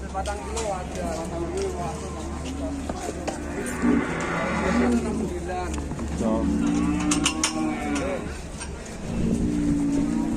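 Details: Large superior-grade cattle at Bateni, Indonesia, being made to climb onto a truck and get off again; low, drawn-out moos with steady tones recur through the clip, mixed with men talking and vehicle noise.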